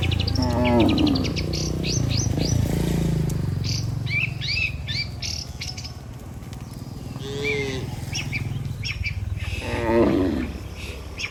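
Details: Tame cattle, dozens strong, heading back to their barn from the pasture; a few short lowing moos rise out of a steady low rumble while small birds twitter overhead.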